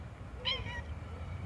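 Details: Red street cat, a stray walking through a tropical park on a sunny day in January 2023, utters one short tonal meow that rises briefly then slides downward, over a low rumbling outdoor background.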